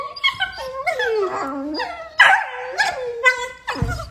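Beagle puppies give high, wavering whines and sharp yips in quick, irregular bursts.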